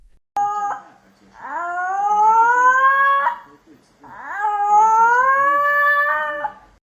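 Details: Giant domestic cat said to look like a lion gives two long, drawn-out meows, each rising then holding steady for about two seconds, separated by a short pause, with a faint indoor background.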